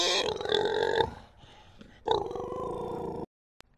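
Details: Krškopolje pig, native Slovenian breed: two buzzy, pulsed squealing calls about one second long, separated by a quieter gap, the second dying away abruptly into silence.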